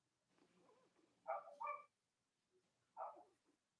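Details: Cavalier King Charles Spaniel puppies on a live stream in the US on a chilly Monday morning near Halloween: faint murmuring, then two quick whiny yelps close together and one more after a pause.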